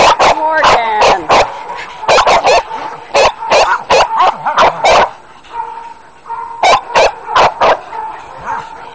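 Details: Kennel dogs barking in sharp bursts, clusters of quick barks separated by short pauses, with high whining yelps near the start and voices in the background.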